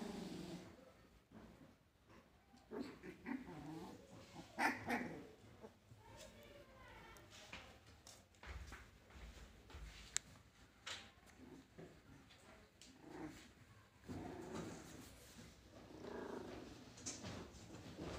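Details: Siberian Husky puppies, 21 days old, playing and fighting together; soft high whimpers, squeaks and small yelps tumble over one another irregularly, with scuffling and brief human speech in the background.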